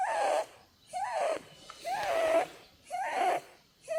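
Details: Female Holland Lop Blueberry snores while sleeping; four longer, wheezy whistled snores with a slight wobble in pitch, spaced a little over a second apart, quiet gaps between.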